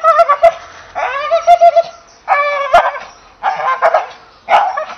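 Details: Tonal, moaning barks from an English Bull Terrier, some longer and level-pitched, others short and rising, coming in four clustered bursts.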